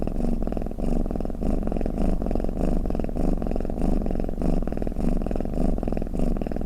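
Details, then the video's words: Cat snoring in a small indoor room, a soothing sound for cats: low, even rumble pulsing about every half second, steady and unbroken for several seconds. "เสียงแมวกรน เปิดให้แมวฟังเคลิ้มๆไปเลยค่ะ | Snoring Cat"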